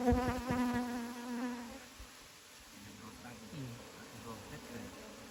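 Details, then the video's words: Wild bees: a steady, low, droning buzz rich in overtones holds for under two seconds, then fades. Quieter background follows, with brief human voices speaking. "Wild bees"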